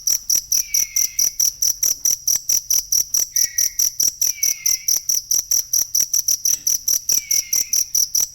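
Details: Cricket sound meant for tutoring songbirds: a fast, even train of piercing high chirps, roughly two or more per second, while softer descending whistle-like slides appear at intervals beneath.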